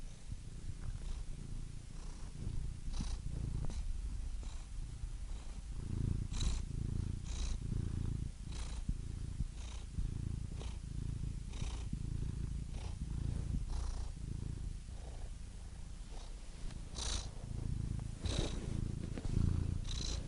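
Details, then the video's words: Soft, fairly quiet purr from a cat, low rumble with uneven rhythm and scattered breathy snuffles and clicks, loudness rising and dipping gently across the recording. "Soothing Cat Purr Sound Effect"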